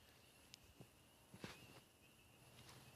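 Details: A distant night chorus of thousands of spring peepers calling from a pool, a steady high ringing blur of countless peeps.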